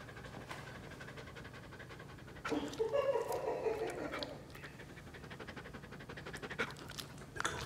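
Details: Wolf Dog, a one-year-old poodle-family pet of nearly 60 pounds visited in South Carolina, panting in quick soft breathy puffs. A person's voice briefly overlaps the middle, with a low steady hum underneath throughout.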